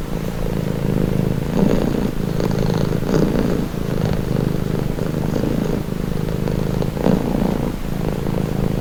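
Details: Domestic cat giving a steady rumbling purr, its inhale and exhale phases rising and falling in slow repeated pulses, with nothing else heard.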